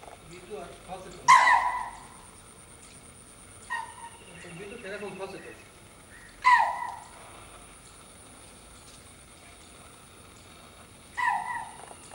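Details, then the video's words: A pet deer kept at a zoo gives short, sharp, nasal calls spaced several seconds apart. "চিড়িয়াখানায় পোষা হরিণের ডাক কেমন?"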